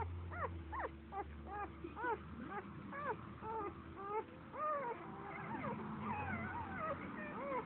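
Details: A Standard Poodle puppy, seven days old and asleep at a dog café, gives rapid arched squeals, each quickly rising and dropping, repeated roughly every half second, then softer wavering squeaks, over a faint low rumble.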